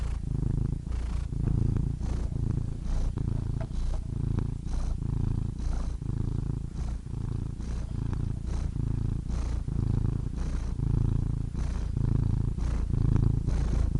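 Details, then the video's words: Deep, even rumbling purr from a domestic cat, rhythmic rise and fall with each breath about once per second, faint airy breath noise, quiet background. "Soothing Cat Purr Sound Effect"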